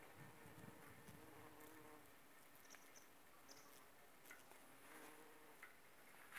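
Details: Bumblebees working aconite flowers, pollinating and gathering nectar; a low, steady droning hum with layered overtones swells and fades over several seconds, with faint soft clicks and light background hiss.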